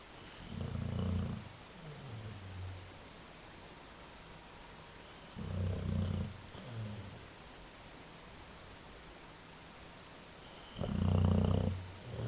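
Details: A sleeping dog snoring loudly: three deep, rumbling snores about five seconds apart, each lasting roughly a second, the first two trailing off into a softer, wheezy exhale, with quiet background hiss between them.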